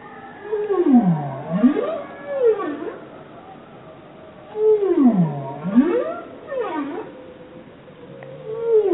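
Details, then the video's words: Bowhead whale singing in repeated phrases. Each phrase has a deep U-shaped moan that swoops down and back up, followed by a shorter higher swoop. The phrase returns about every four seconds over a faint hiss. "Bowhead Whale Song"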